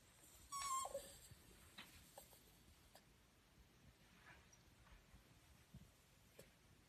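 An Italian Greyhound gives a brief, high whine that slides downward, followed by faint soft clicks.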